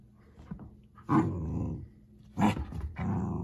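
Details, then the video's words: Pomsky puppy growling playfully indoors while chewing a wash cloth, all in good fun; two loud rough growl bursts near one and two and a half seconds, each about half a second long, then a longer low rumble to the end. "POMSKY puppy versus wash cloth (cutest puppy growls ever!)"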